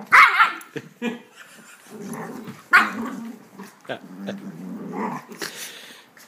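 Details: Wheaten terrier scolding a miniature schnauzer puppy during couch play wrestling: low sustained growls run between sharp, loud bark-like outbursts, with rustling from the tussle and a person speaking briefly.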